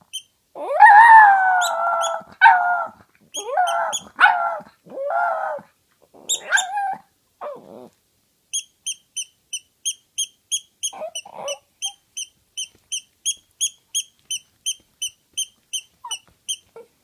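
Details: Pet toy poodle that likes to howl: a series of drawn-out, wavering howls and yelps over the first seven seconds, then a long run of evenly spaced high ticking or beeping pulses with a few soft whimpers.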